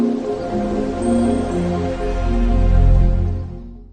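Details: Soft ambient music with steady tonal layers and a gentle low drone, no animal sound audible.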